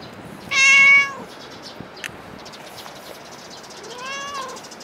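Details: Cat at Dockyard Garden, early morning of 8 July 2016: one loud, bright meow, then a quieter pause with small clicks, followed by a second fainter meow that rises and falls.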